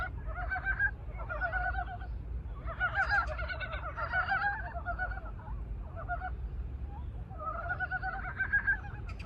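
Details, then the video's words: Korean brown frogs out of hibernation sing their ardent love call: overlapping raspy, clucking croak bursts from several frogs, densest around the middle and again near the end, over a continuous low rumble. "frog’s love signal~ 겨울잠 깬 산개구리 애타는 사랑 노래"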